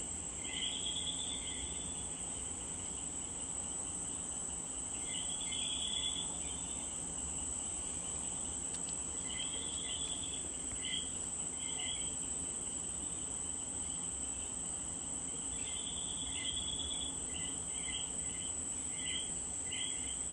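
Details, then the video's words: Puerto Rican common coquí frogs calling in bursts: rapid upward-stepping two-note chirps clustered in groups, pauses between clusters, a continuous high-pitched insect drone in the background. "The sound of the coqui de Puerto Rico."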